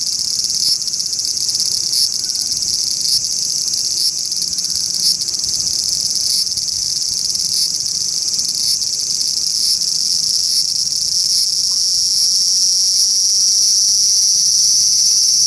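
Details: Large brown cicada on a park cherry tree gives a long, relentless sizzling buzz, faint rhythmic ticks running through it, and the tone brightening toward the end.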